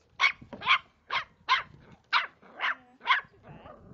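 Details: Three-month-old Cavalier King Charles Spaniel puppy fiercely attacking a water bottle: a string of sharp, high yappy barks, about two per second, eight in four seconds, with faint rustling between them.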